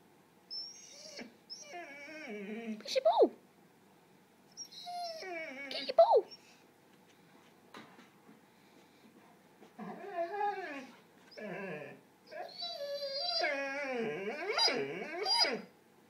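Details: Red-dog, a pet dog whose ball is stuck, 'talks' indoors in a small room: drawn-out, wavering, harmonic whines and moans in bursts every few seconds, sliding up and down, with a person's voice coaxing it about its ball between calls.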